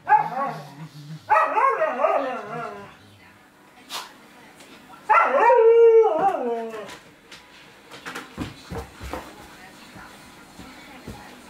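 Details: Czechoslovakian Wolfdog Veni pestering Laki the Samoyed. Two drawn-out, wavering whine-howls rise and fall, one at the start and one around five seconds, followed by short scuffling thumps and knocks.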